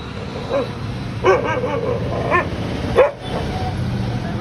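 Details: Pet dog barking at a cat: four separate mid-pitched barks, irregularly spaced about a second apart, over steady background noise with faint human voices.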